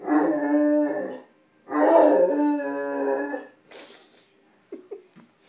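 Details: Male Great Dane puppy, nine months old, indoors after discovering food on the stove. He gives two long, drawn-out harmonic howls, the second nearly two seconds, then a few short, sharp yelping whines.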